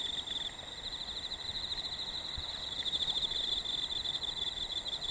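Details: Autumn insect voices in a very hot summer: a steady mass of high, rapidly pulsed trills, swelling slightly toward the end, with a fainter upper band and a brief low thump near the middle.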